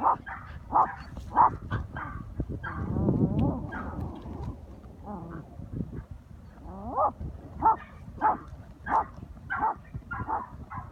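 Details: Patterdale terrier pack, 10-week-old Grim hunting for the first time alongside older dogs, bay at an armadillo in a hole; sharp yips repeated roughly every half second to a second, with a rough, scraping, digging-like stretch in the middle.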